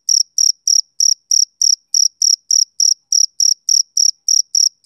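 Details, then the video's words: Rhythmic chirping of a male cricket on a summer evening: bright, high-pitched pulses about three and a half per second, evenly spaced and even in loudness, with a quiet background. "Cricket Chirping Sound Effect"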